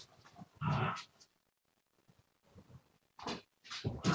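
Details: Siberian Husky recorded live indoors on 7 February 2019, giving short broad, rough vocal bursts: one strong yelp-like outburst near the start, quieter mutters, then two loud closing bursts.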